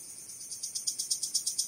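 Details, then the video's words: Male cricket rubbing its wings together to attract females: a rapid series of short, high, shrill pulses. They are faint at first, then grow louder and more distinct through the second half. "Cırcır Böceği Nasıl Öter?"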